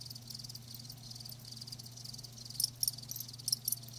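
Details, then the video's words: Live crickets chirping, a high band of short pulses clustered near the top of the range, quiet at first and then a few louder chirps in the last second and a half, over a steady low hum. "Live Crickets 60min "Natural Sound""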